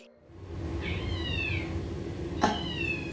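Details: Domestic cat, a former hisser in foster care, meows indoors as he is told his brother hears him; two drawn-out meows falling in pitch, about a second apart, over a steady low indoor hum.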